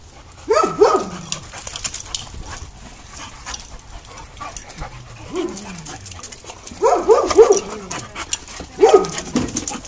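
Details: Dogs playing together, including a schnauzer and a dachshund among the group: a few short harmonic barks and yips in bursts near the start and end, a lower growly yelp in the middle, with scuffling play noise between.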